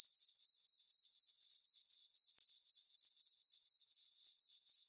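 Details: Night chorus of crickets in a summer meadow on a farm beneath a full moon: a high, even, pulsing chirp repeating around four times each second, with a brief dip midway.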